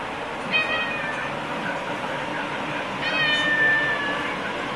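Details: Pet cat meowing at dinner time indoors: two short harmonic meows about two and a half seconds apart, over a steady background hum.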